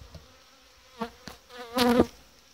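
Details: Honey bees at a Romanian apiary as colonies are packed for winter; close droning buzzes swell in short bursts, the strongest near the end, over a quiet background with a few dull knocks.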